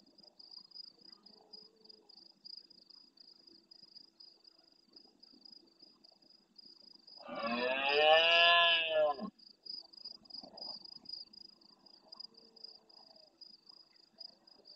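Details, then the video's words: Large red deer stag roaring intensely at nightfall near a camera in the Doñana National Park marsh at El Rocío, Almonte, Huelva, Andalusia, Spain, answering distant stags: one harsh, harmonic two-second bellow after quiet, over a steady high insect trill. "Berrea nocturna en primer plano"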